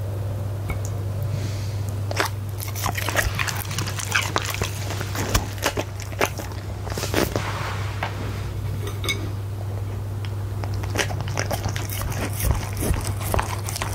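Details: Goldendoodle named Punte crunching through a steak and egg dinner, captured with a Blue Yeti microphone; sharp, irregular bites and snaps come every fraction of a second, with a constant low hum underneath.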